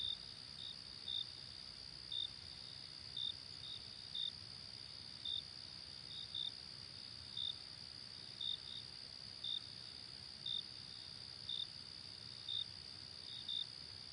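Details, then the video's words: Night-time cricket chorus with crisp high chirps roughly every second, layered on a continuous shrill background hum, and a softer second cricket chirping between the louder ones. "Cricket At Night Sound Effect"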